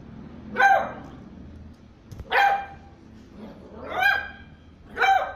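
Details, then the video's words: Puppy barking, four separate high yappy barks spaced roughly one and a half seconds apart, each bright with a falling tail, over a low steady background hum. "PUPPIES BARKING - Cute Puppy Barking Videos Compilation || DOGS BARKING VIDEOS"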